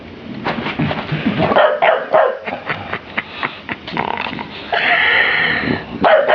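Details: Dave, a big 25 kg bulldog, playing with a small woolly toy sheep indoors; rapid irregular yips, barks and growly huffs, about four per second, with a longer sustained whine-like bark near the end.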